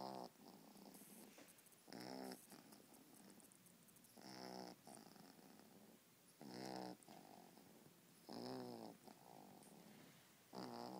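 A Boston terrier snores in slow, rasping, buzzy breaths, each about two seconds apart.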